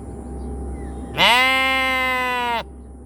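A sheep gives a single drawn-out, nasal bleat lasting over a second.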